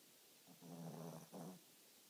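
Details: Sleeping Shih Tzu dog snoring, a low buzzy rattling breath split into two parts with a brief dip between, over a quiet background.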